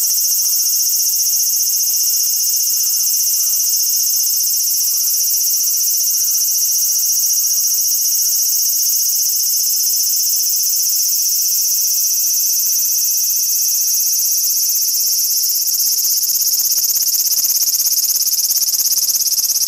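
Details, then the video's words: Large brown cicada in a territorial dispute: a loud, continuous sizzling drone fills the whole recording, with faint scattered chirps far quieter beneath it. "アブラゼミの諍い（Dispute of large-brown-cicada ）"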